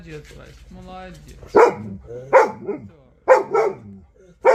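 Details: Central Asian Shepherd Dog Vasya 'talking': quiet, low murmuring vocal sounds at first, then four loud, abrupt barks spaced over about three seconds, with faint human voices between.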